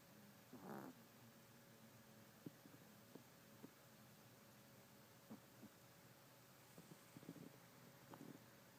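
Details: Tiramisu, a miniature Yorkshire Terrier, asleep indoors and snoring with a soft, bubbly buzz likened to a bumble bee; a louder raspy breath early on, then faint rhythmic snuffles and small clicks over a quiet room hiss.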